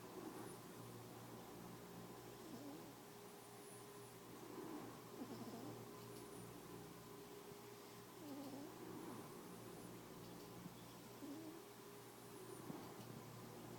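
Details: Sleeping cat Mia, dreaming as she snores, gives soft breathy rasps roughly every three seconds over a steady low indoor hum.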